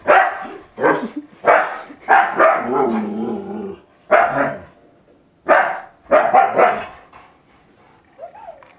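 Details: Siberian Husky reacting to Windows XP sounds: a run of sharp barks in quick bursts, a rumbling growly stretch between them, then a short rising whine at the end.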